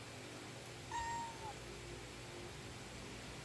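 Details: Pet cat giving one short, thin meow that slides slightly downward, about half a second long, over steady low background hum indoors.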